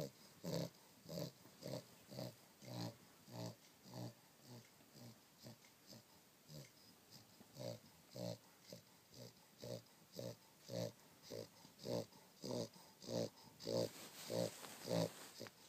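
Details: Rhythmic snoring from a dog asleep on a down duvet: a long even series of husky, snuffling breaths, close to two each second, with a faint background hiss.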